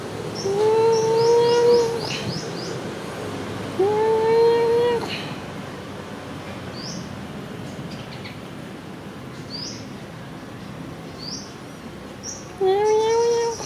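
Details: Friendly, happy cat Sona after food, giving three drawn-out meows, each about a second long and slightly rising then level, with long quiet gaps between; faint high chirps in the background.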